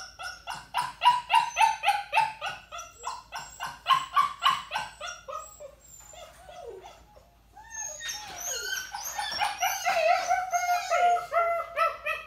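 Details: Young puppy in a crate, ignored, barking, whining and howling from crate anxiety or demand; a long regular series of sharp yips, a quieter pause, then strained, wavering howl-like whines mixed with barks.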